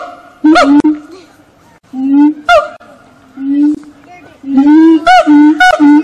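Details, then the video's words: Singing monkeys at Fota Wildlife Park on Fota Island, Cork Harbour: loud, clear, hooting tones, some sliding upward into whooping notes, given in bursts separated by brief pauses. "Singing Monkeys"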